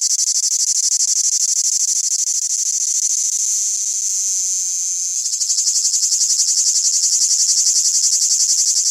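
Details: Cicada at night: a loud, shrill, continuous buzz high in pitch with a fast pulsing texture, holding steady, then briefly shifting in tone around the five-second mark before resuming with stronger pulses.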